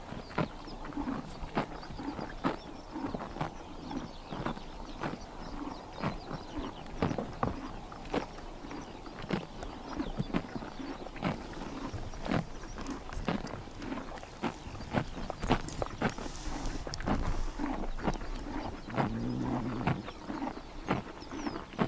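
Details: Grass being cropped and chewed by horses on a summer morning in Mongolia's Tuv province: rapid, uneven crunches and snaps that come close together throughout, over soft rural background sound.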